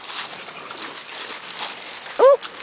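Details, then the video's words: Blue nose Razor's Edge pit bull puppies, part of a litter playing outside in a yard with their mother and older sister; after rustling and handling noise comes one short, sharp, rising-then-falling yelp near the end. "Cute Pit Bull Puppies Playing"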